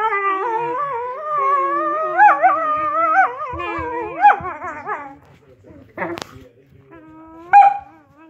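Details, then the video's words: Whippets singing in a drawn-out, quavering howl that rises into higher wobbling notes. The howl trails off after about five seconds, followed by a few isolated yelps and a sharp bark. "Whippets Singing"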